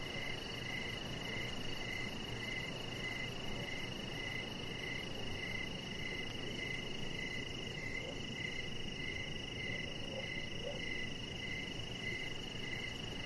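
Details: Crickets calling outdoors on an evening deck: regular short chirps repeated through the whole stretch, a sustained high tone, fast ticking at the top, a few faint lower notes, and a steady rushing background.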